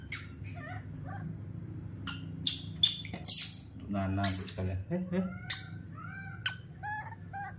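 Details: Baby monkey, adopted from an animal market and being raised indoors, throws a tantrum on seeing milk being prepared in the kitchen: shrill, piercing squeals and short rising-falling cries in bursts, mixed with a man talking in Indonesian over a steady low hum.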